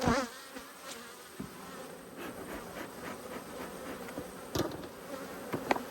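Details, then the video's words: Honey bees annoyed by an inspection of their hive, recorded 5 March 2022: a steady swarm hum under repeated sharp clicks and knocks of wooden frames being moved, with passing individual bees buzzing louder. "When Bees Go Wild - Inspecting Two Angry Hives"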